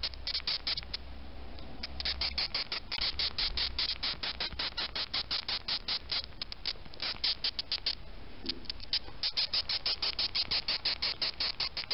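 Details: Repeated short squeaky chirps from a male Acherontia atropos (death's-head hawkmoth) stimulated by touch, a steady train of raspy pulses continuing for twelve seconds, slightly faster toward the end, with faint handling noise.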